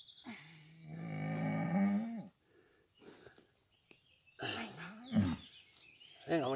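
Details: Simmental Fleckvieh cow moaning during calving, a deep sustained moo of about two seconds with rich harmonics, then strained groaning calls later; a man speaks Spanish encouragingly in between as the calf's head emerges.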